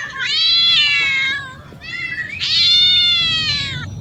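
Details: Among cats and kittens out discovering new places, a cat gives two long, loud meows. Each is steady and strongly harmonic, lasting over a second, with a brief quiet gap between them.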